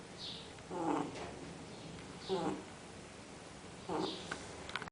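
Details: Fred the dog asleep, giving three rasping snores roughly one and a half seconds apart, each with a low buzzy inhale and a thin whistle, over quiet background noise.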